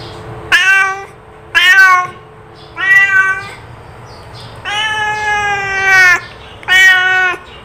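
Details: Domestic cat calling; a series of six harmonic meows, some short and rising, others long and level, spaced roughly a second apart, with a faint steady hum underneath.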